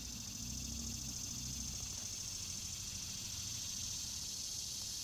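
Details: A summer cicada recorded up close buzzes with a steady, high, hissing drone that never pauses, answering another cicada heard at the start.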